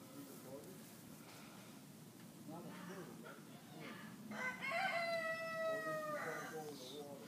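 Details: Nigerian Dwarf goat kid, two days old, bleating once in a long, even, slightly falling tone near the middle, with faint rustling and murmuring around it.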